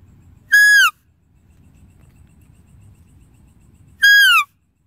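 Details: Two shrill, falling squeals from a deer, brief and strongly harmonic, about three and a half seconds apart, with a quiet low murmur between them.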